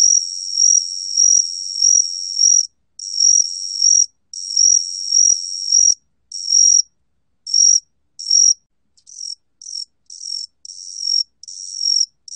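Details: A 각시귀뚜라미 cricket, recorded in 2020, gives high, silvery, pure-toned trills on a single steady pitch in runs of a second or so, the bursts growing shorter and choppier toward the end, separated by brief silences.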